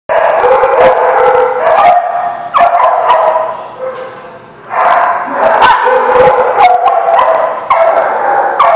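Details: Chorus of dogs recorded on 16 June 2017, many voices overlapping in loud, sustained howls and yelps with sharp barks cutting through, briefly dipping quieter midway before surging again.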